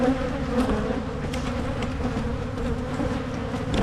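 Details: Buzzing honeybees around Michigan hives being split against swarming; a constant low drone with a deeper rumbling hum beneath and scattered sharp clicks from work on the hives.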